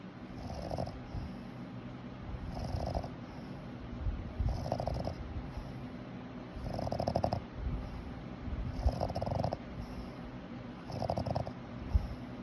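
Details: A Boston Terrier snores in a steady rhythm, low, rumbling, nasal breaths about every two seconds, each with a buzzy rattle over a deep, throaty drone.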